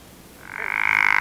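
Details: Mating call of a pickerel frog (Rana palustris): a single snoring croak that swells in loudness over about a second, with a rapid pulsed rattle to its texture.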